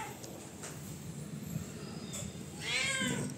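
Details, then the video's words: A rowdy domestic cat demanding food lets out one short, loud, harmonic meow near the end, preceded by steady background hiss and faint low rumble. "Rowdy cat 🐈 on Demand..."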